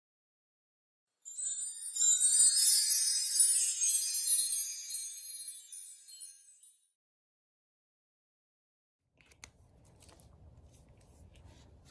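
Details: A bright, high tinkling chime rings for about five seconds and fades, followed by silence and then faint low rumbling noise, with no animal sounds.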